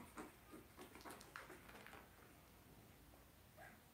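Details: Two-week-old blenheim Cavalier King Charles Spaniel puppies, a litter of five born at New Year's, in an indoor puppy pen; short, thin, high squeaky whimpers come in a quick burst early on, then one faint squeak near the end over a quiet room hum.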